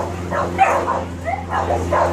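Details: Puppies yipping and whining in short, high, repeated cries, with a steady low hum underneath and a person speaking nearby.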